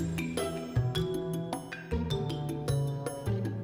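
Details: Only gentle instrumental background music plays, with soft melodic tones and no animal calls.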